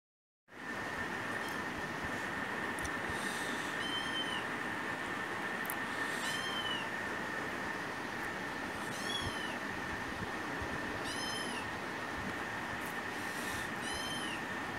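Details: A rescued pet kitten, recorded on a phone, begs nonstop for a share of its owner's food. It gives about a dozen short, high, arched meows at irregular intervals over a steady droning hum and broad background noise.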